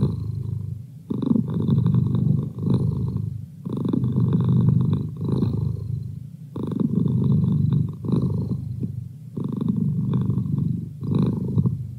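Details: Male pet cat purring contentedly, throaty low vibration alternating between strong drawn-out swells and brief quiet dips, the cycle repeating every two to three seconds.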